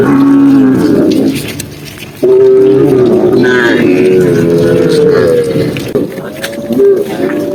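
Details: Tame cows lowing while being herded on a sunny afternoon in green countryside; one long, steady, drawn-out moo follows a shorter low call, with faint background sounds.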